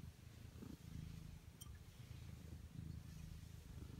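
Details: Indoor Ragdoll cat, one of the pair Ao and Aki (one year one month and ten months old), beside its waking owner in the morning; a low, continuous rhythmic purr with pulsing breaths fills the clip, plus faint rustling.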